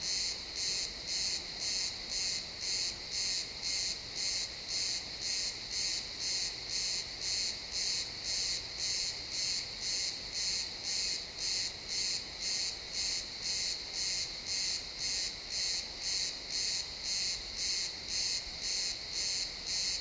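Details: Chirping crickets in pine woods at sunset, stereo recording; a high buzzy chirp beats steadily about twice per second, evenly throughout, with faint low ambient rumble beneath.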